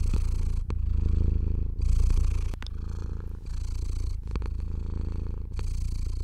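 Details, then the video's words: Contented domestic cat purring continuously under a person's stroking hand, a low vibrating rumble with intermittent brushing swishes of fur and a few faint clicks. "Cat Therapy 4Hrs of Stroking & Purring"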